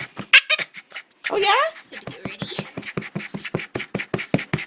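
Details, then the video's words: Bruce, a Boston terrier, makes strange noises because he wants to play with the ball: after a brief human voice comes a drawn-out rising and falling whine, then a steady run of quick snorting grunts indoors. "Un terrier de Boston produit d'étranges sons"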